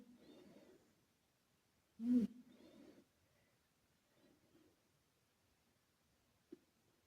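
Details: Karumo, a male British Shorthair former rescue cat, snoring while asleep with echo added; a soft breath, then a loud short nasal snort trailing into a breathy exhale, followed by quieter breaths and a faint click.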